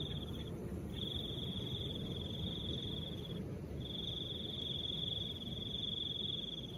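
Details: Cricket trilling in soft wind, a thin high steady buzz in three long bursts separated by brief pauses, with a constant low wind roar beneath.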